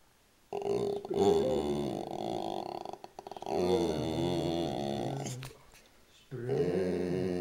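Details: Bulldog-boxer mix dog talking: long, drawn-out grumbling moans with wavering pitch, sustained for several seconds, a short break, then another rising-and-falling groan near the end.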